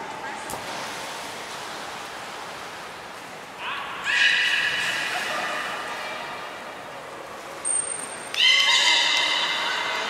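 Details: Belugas Taanya, Nana, Mirai and Niko training at Port of Nagoya Public Aquarium on 11 July 2020: two separate buzzy, whinny-like tonal calls, the first near the middle lasting several seconds, the second after a brief high whistle tone.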